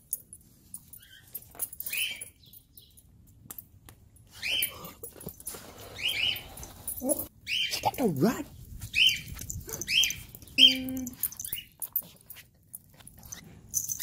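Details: Abandoned Chihuahua crying after being reunited with its owner: high, thin whimpers rising and falling in short arcs, repeated several times, with a person talking over and between them.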